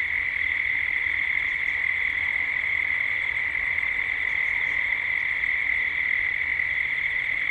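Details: A dusk chorus of cicadas in Gippsland, Australia, captured as 3D ambience: one continuous piercing buzz at an even high pitch, very steady in loudness, with only a few soft, distant bird notes above it.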